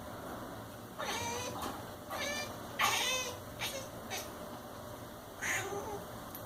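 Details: A domestic cat gives short, chirping meows in quick bursts, some fluttering and wavering, while watching a fly.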